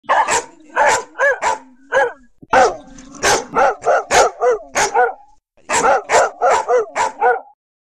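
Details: Dogs barking: a rapid series of sharp, loud barks, roughly two to three per second, in three bouts separated by brief pauses, with some fainter overlapping barks.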